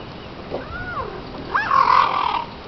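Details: Hungry cheetahs at feeding time on a game reserve: a soft arched whistled chirp, then a louder chirp that rises, falls and holds as a buzzy, strained note for nearly a second. Faint background hiss.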